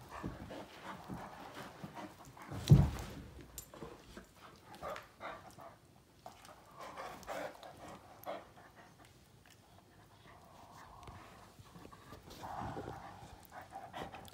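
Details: Great Danes Finn and Magic, two males, playing rough with open mouths until worn out; steady panting throughout, one sharp loud thump near the start, and soft low grumbling vocal tones in the later seconds.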